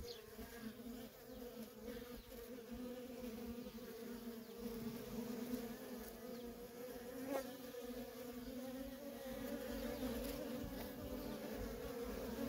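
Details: A feral honey bee colony with constant worker traffic gives a thick, even buzzing drone that grows slightly louder toward the end, the whirring of many wings overlapping.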